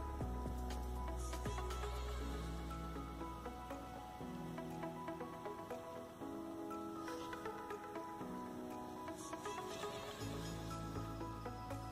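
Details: Music with steady sustained tones and a rhythmic pulse fills the whole stretch, and no animal voice can be picked out.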